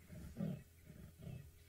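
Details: A leopard saws on safari while ignoring nearby impalas: deep, rasping grunts repeated in a steady rhythm, like a saw drawn through wood.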